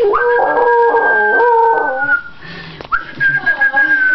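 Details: Rottweiler howling: a sustained, steady howl that fades out after about two seconds, then a brief pause and a fresh howl starting, with wavering overtones throughout.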